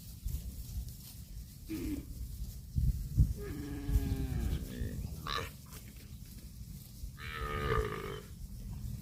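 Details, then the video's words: Cattle grazing on grass produce a falling, drawn-out moo, then a shorter, fainter lowing call later on, over a steady low rumble and scattered thumps. "CUTE AND FUNNY COW SOUND EATING GRASS COMPILATION - COW MOOING- CON BO"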